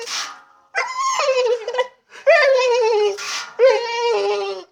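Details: Frustrated female dog whining, unable to get at the water; three long, wavering whines, each starting higher and sliding down into a drawn-out moan, separated by a breathy exhale.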